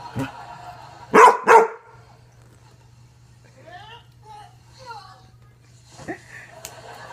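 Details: An ornery Basset Hound named Zoe lets out two quick, deep barks in succession, then quiet with faint squeaky sounds and a low hum, ending in a short soft bark.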